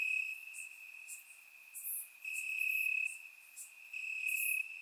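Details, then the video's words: Summer-night crickets chirping in Bulgarian grass: a constant piercing trill, louder in two long bursts, overlaid by brief very high chirps. "Cricket Sounds - Crickets Chirping at Night"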